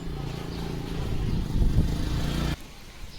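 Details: A low engine rumble from a passing vehicle rises and then cuts off abruptly, leaving quiet outdoor background noise.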